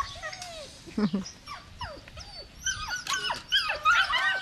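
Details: Belgian Malinois puppy whimpering and yelping, thin high whines bending up and down, growing into a cluster of squeaky overlapping cries near the end over a soft background hiss.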